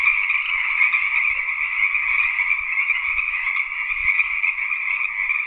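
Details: Unbroken buzzy trilling from tree frogs, steady and even in loudness, with faint low thumps in the background.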